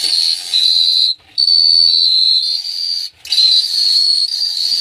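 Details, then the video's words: Night chorus of crickets at Phteah Prey, a continuous piercing high trill in three long bursts split by two short pauses, with a faint low hum underneath. "The Sound of Cricket Chirping is amazing"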